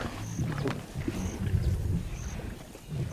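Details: Lions of a large pride on the west bank of the Luangwa River in Zambia, African bush; deep rumbling growls and grunts in uneven short bursts, with faint high whistled bird notes above.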